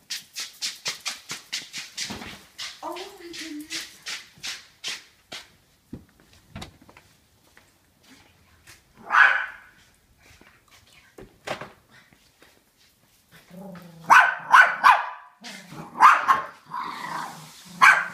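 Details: A small female dachshund instigates a chase and is chased in a circle, giving short, sharp yelping barks and a brief whine amid rapid scuffling and some human voices.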